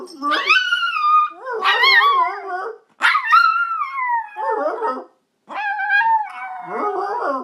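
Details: Yorkshire Terrier howling together with its owner, several wavering howls about a second or two long, some sliding downward, separated by short breaks, with a brief silence before a final drawn-out howl.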